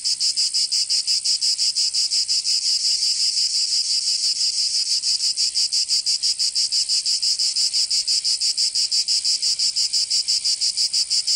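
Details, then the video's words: Provençal cicadas in summer, southern France, keeping up a loud, piercing buzz pulsed with very even regularity, about three beats a second, briefly smoothing into a continuous drone midway before the throbbing returns. "Canto Cigarra"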